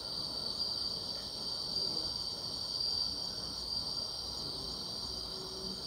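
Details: Grass insects at night in summer, a shrill sustained ringing hum high in pitch, gently swelling and fading in volume, with a quieter upper tone and a low background rustle.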